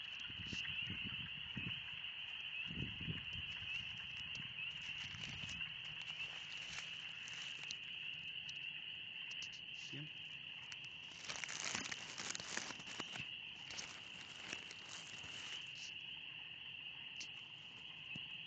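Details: A dense spring peeper chorus fills the Oxford Woods on a warm spring day as a constant shrill high drone, broken by footsteps, rustling and a person's brief speech.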